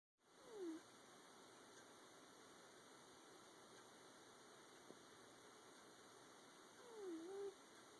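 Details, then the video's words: Ren, a pet cat who has always snored without any nasal issue, snoring while asleep: a soft whistled tone sliding downward with each breath, two breaths about six seconds apart, over a steady electrical hum in a quiet room. "ren snoring"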